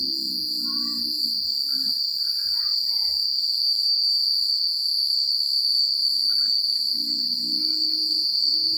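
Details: Countryside crickets chirp through the night in a dense, even, high trill; faint scattered twittering notes appear in the middle and soft low rustling swells at the start and end.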